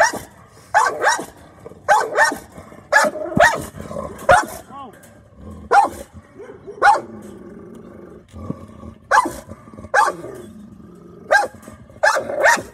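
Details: Oreo the American Bully, a pit bull on guard, mixes abrupt barks with rumbling growls in the pauses; a person's voice is faintly present beneath.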